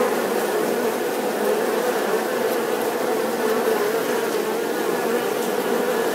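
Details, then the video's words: A bee hums with an unbroken, even buzz, a droning low tone that holds at a constant loudness from start to finish. "The sound and picture of the Bee"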